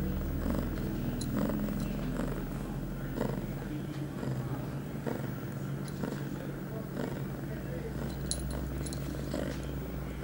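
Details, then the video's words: Female house cat Pia, eight months old and on heat, filmed on September 23, 2011, shortly after her first birth control pill: continuous deep purring with scattered rustles, soft thumps and a few high tinkling jingles. "Pia on heat."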